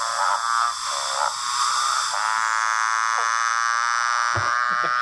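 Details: Motorbike frog (Litoria moorei), Western Australia: male advertisement call to be heard by females, a droning, harmonic call rising and dipping like a motorbike engine revving through its gears.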